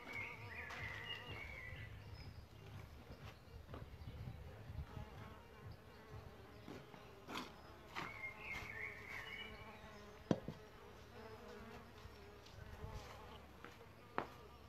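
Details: Around a bug hotel where solitary bees nest, a buzzy hum swells and fades as bees come and go. Scattered clicks and brief high bird twitters sound behind it.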